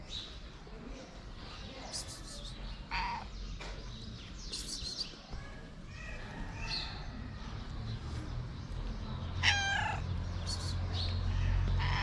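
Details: Tuxedo cat with bright eyes, a stray on the street in Morocco, shy while eating. Two clear drawn-out meows stand out, one near three seconds and a stronger one near nine and a half, amid chirping birds and a person speaking.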